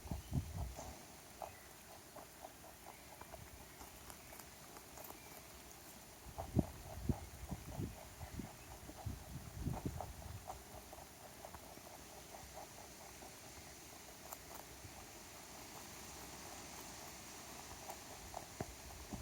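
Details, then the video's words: Rabbit, a stray that wandered into a backyard, eating a carrot: steady rhythmic crunching, about two bites a second, sharp clicks over soft low thuds, with faint outdoor hiss. "Sound Effect of Rabbit Eating Carrot"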